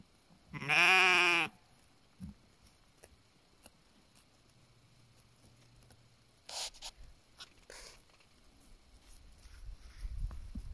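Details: Flock of sheep in the BC mountains of Canada, watched over by guardian dogs: one loud, harsh bleat under a second long, followed by scattered rustles and faint knocks in a quiet setting.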